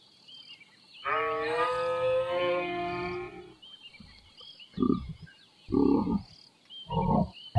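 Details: Giraffe giving a low, droning hum rich in stacked overtones for about two and a half seconds, followed by three short, rough grunting bursts; birds chirp and twitter steadily in the background.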